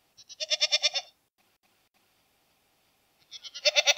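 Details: Goat bleats: a quavering, pulsed cry near the start, silence, then another loud tremolo bleat beginning and cut off at the end.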